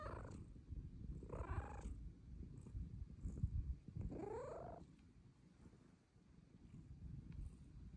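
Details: Pet cat Luna meowing for pets: two drawn-out, bending meows about three seconds apart over a continuous rumbling purr that fades toward the end.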